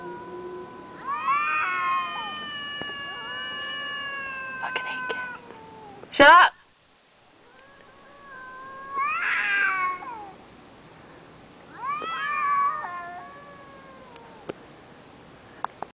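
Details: Cats caterwauling late at night outside a bedroom window in the dark: long wavering drawn-out yowls rising and falling, three main bouts with gaps between, a sharp thump midway and a person's faint voice.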